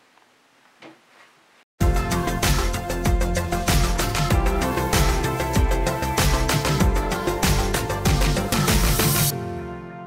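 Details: Cats trying on new bandanas, heard only as a quiet murmur followed by loud, beat-driven background music with strong bass that fades out near the end; no meows.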